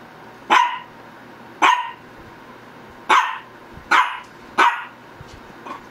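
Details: Single sharp barks from a Shih Tzu, five in six seconds at uneven gaps, each a brief punchy yap, followed by a faint softer bark at the end over a low background hum.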